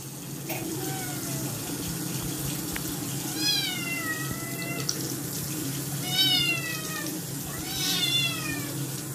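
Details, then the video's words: A Scottish kitten unwilling to take its second bath meows loudly, about four insistent, wavering calls, the later ones rising then dropping, over running tap water and a constant low hum. "Kitten Got dirty does not want to bath and Meows Loudly"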